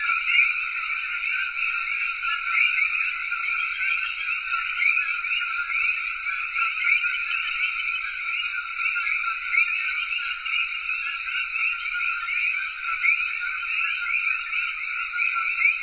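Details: A dense night chorus of common coquis in Cayey, Puerto Rico, countless high two-note calls merging into a continuous ringing wall of sound.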